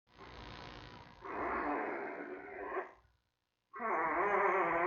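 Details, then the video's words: Newborn giant panda cub in its den at the Smithsonian's National Zoo, days 22 to 23, with mother Mei checking around: a soft harsh sound, then a loud rasping harmonic squawk, a brief silence, and another strong grating cry. "Mei-Baby Watch: Mei Checking around the den & Baby Making Sounds, Day 22 & Day 23."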